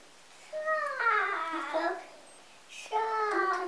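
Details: Sleepy three-day-old Golden Retriever puppies held and snuggled by children indoors on a Vermont country farm; two bursts of high, squeaky whining cries with bending pitch, separated by a short pause.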